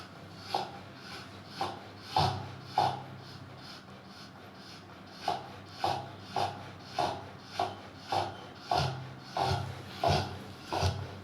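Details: A Rottweiler snoring while asleep, with rough, rasping breaths repeating roughly every second, some broken by short pauses, and a faint higher tone at the peak of several breaths.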